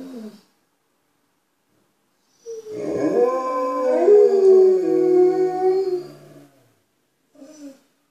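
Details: Alaskan Malamutes Tuvaaq and Aanaga, indoors, letting people outside know they are there: one long, layered howl with two voices overlapping and wavering, framed by brief short howls.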